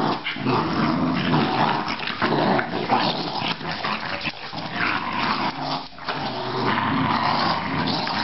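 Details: Australian Terrier growling continuously and harshly for several seconds, a rumbling snarl with brief breaks, inside a small room.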